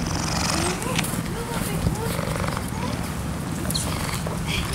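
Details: A young cheetah at a lion park near Johannesburg in September 2013 purrs with a steady, deep, rumbling vibration while licking a visitor's arm, louder toward the end, as people talk nearby.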